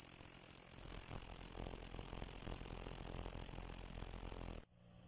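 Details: Green insect calling loudly in the dark, a continuous high-pitched shrill buzz held steady for over four seconds before stopping abruptly, with faint low background rumble.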